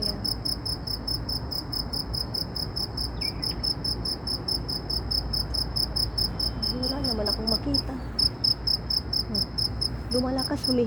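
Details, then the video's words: Insect in Saudi Arabia giving a loud, piercing trill of evenly spaced high chirps, several per second, continuing unbroken for the whole stretch while soft speech drifts in and out underneath. "ANONG INSEKTO KAYA ITO ANG LAKAS NG HUNI / TUNOG NG INSEKTO"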